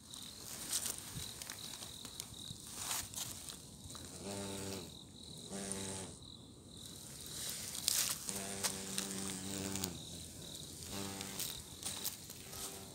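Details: An Asian giant hornet in the mountains on 11 October 2021 gives low, droning wing buzzes in bursts that come and go.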